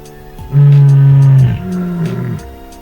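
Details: In Kruger National Park, a lioness gives a deep, low moaning contact call, one long note then a shorter, softer one; the rest of her pride may be elsewhere or separated.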